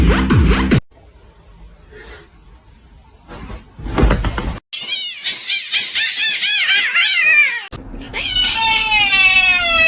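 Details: Cat meowing indoors: a quick run of short, arched, rising-and-falling meows, then a longer drawn-out meow with wavering pitch. Abrupt cuts, bursts of noise and human voices around it.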